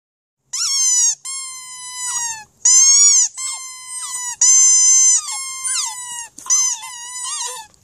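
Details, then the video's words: Border Terrier singing: a run of about eight long, tonal, howl-like notes held near one pitch with bright overtones. Some notes dip or slide downward at the end, separated by short pauses, with a quiet background. "Border Terrier Singing"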